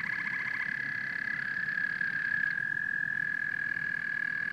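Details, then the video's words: Chorus of frogs and toads at night-like stillness: a dense, steady high trilling drone holds one pitch throughout, with a short burst of rapid pulsed croaks at the start and a soft low rumble beneath. "Frogs and Toads Symphony"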